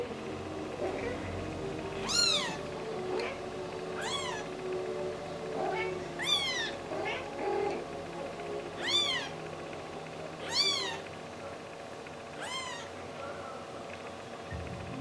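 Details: Pet cat Yoshi meowing indoors: six clear, tonal meows that rise and then fall, spaced about two seconds apart, over a steady low household hum with quiet background noise between calls.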